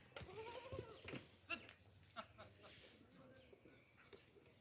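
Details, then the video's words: Baby goats at play, one giving a long quavering bleat that rises then falls at the start, followed by shorter scattered bleats and sharp knocks and scuffles from the playing kids. "Baby Goats Playing, Dancing, and Making Adorable Sounds"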